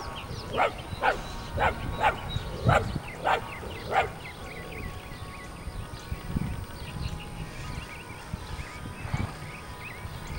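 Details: Puppies bark in a run of short, bright yaps about every half second for four seconds, then fall mostly quiet apart from a couple of faint later yips, while birds twitter throughout.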